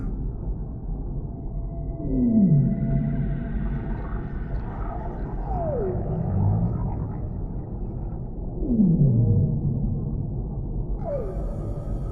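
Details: Whale calls in a deep-sea relaxation ambience: two strong descending moans sliding from mid to low pitch, about six seconds apart, with fainter higher sweeping cries between them over a steady low underwater rumble.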